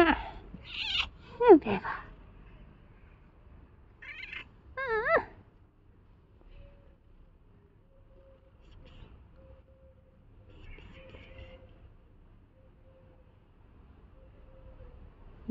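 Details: Tuxedo domestic cat giving a cluster of quick meows, one sharply falling, then a wavering, tremulous meow a few seconds later, followed by a long, nearly silent stretch with only faint low background hum.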